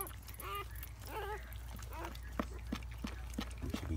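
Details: During the birth of eight Siberian Husky puppies to the mother Luna, a newborn gives several short, wavering squeaks early on, then a series of soft rhythmic clicks and taps follows, with low human voices.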